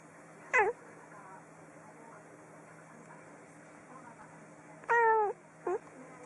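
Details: Kitten giving short, high meows: one sharp cry near the start, then two more close together near the end, with quiet room hum between.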